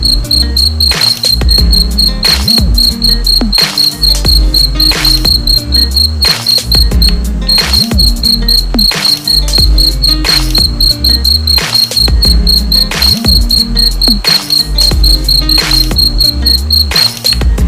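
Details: Cricket giving a continuous train of high, evenly pulsed chirps, roughly four a second with one short gap, layered over persistent deep rumbling and low warbling sounds throughout.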